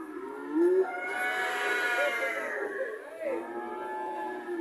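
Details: One long, wavering moo from a red cow, its pitch rising and dipping as the call carries on for several seconds.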